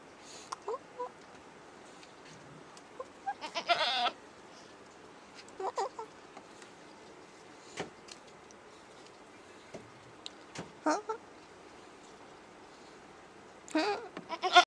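A female goat gives several short, wavering bleats spaced irregularly over quiet background.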